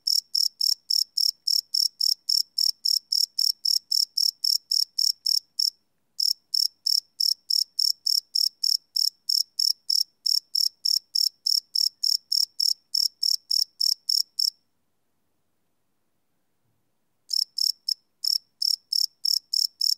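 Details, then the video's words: Cricket song at night, recorded live with a field recorder: sharp high chirps repeating about three or four times a second, a short gap early on and a longer silence of some three seconds before chirping resumes. "Cricket Chirp Sound - Cricket Sounds at Night"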